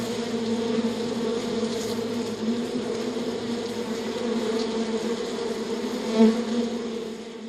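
A bee drones steadily in a low, even hum that swells briefly louder near the end as it passes close.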